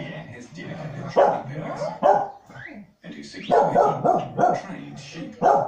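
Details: Two pet corgis bark at the television while dogs herd stock on screen; irregular loud barks and yips come in bursts about every second, over a background of television voices and sound.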